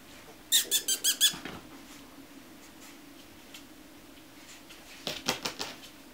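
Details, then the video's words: Chihuahua puppies squeaking indoors: a quick run of five high, thin, evenly spaced squeaks, a few seconds of quiet room noise, then a second shorter burst of squeaks. "Щенки чихуахуа"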